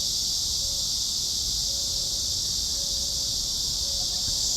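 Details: Summer cicada, a crawling insect, producing a continuous shrill buzz that holds unbroken throughout, with faint low hum beneath.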